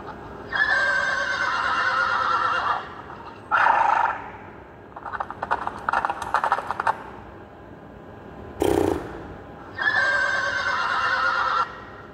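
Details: A young mare calls to a stallion with loud harmonic whinnies, three long ones of about two seconds each plus a shorter call, separated by rustling, clattering noises and a sharp snort-like burst.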